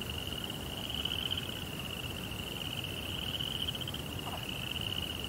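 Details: Night crickets in a Japanese Zen garden beside a koi pond, giving an unbroken high, slightly wavering shrill trill, with one brief lower chirp near the end and a low steady hum beneath.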